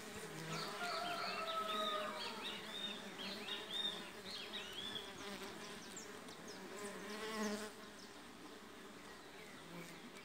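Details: Mandaçaia stingless bee foragers arrive for the first time at a new hive box holding two brood discs from another colony, during colony splitting. Their dense, steady hum runs with faint chirping in the background.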